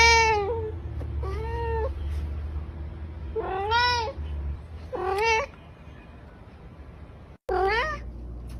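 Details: Cat giving repeated short meows, each bending upward then down, five calls over about eight seconds, fairly quiet with a low steady hum in the background.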